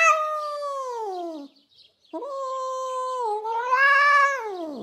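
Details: Jasper, a wild-tempered female domestic cat with enraged cries, utters long wavering yowls: one sliding downward, a brief break, then a sustained wail that rises and bends before dropping away.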